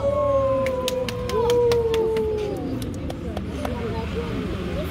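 A Steller sea lion gives long, drawn-out tonal calls that slowly slide downward, over clicks and background chatter.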